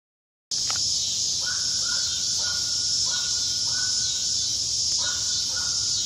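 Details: Cicadas in south Charlotte, North Carolina, after a storm: a loud, unbroken high buzzing drone fills the air, while a bird gives short, repeated, hoarse calls at a lower pitch underneath.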